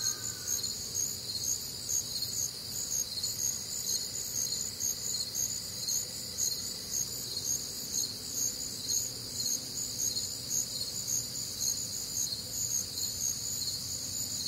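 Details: Crickets with other nocturnal sounds on a warm, humid Midwestern summer night: a dense chorus of high, bright pulsed chirps layered in several bands, pulsing about twice a second, with a low rumble beneath.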